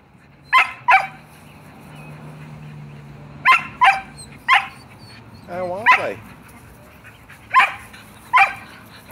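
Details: Pet Shelties demanding a game of ball, loud and adamant: spaced sharp barks, often doubled, with one drawn-out whining yelp in the middle and a steady low hum in the room.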